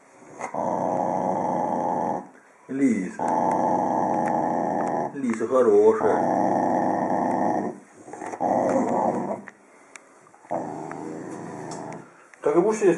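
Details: Corgi described as friendly, growling in long, steady low rumbles of about two seconds each, separated by brief pauses, with short rising whiny sounds and a person's voice between some bursts.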